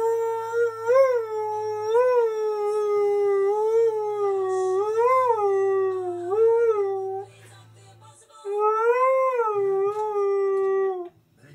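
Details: Key, a Husky/Malamute, howls along to TV adverts he loves, with a distinct song for each: a sustained tonal howl with repeated upward swoops roughly every second, a pause near eight seconds, then another swooping howl while a low hum continues.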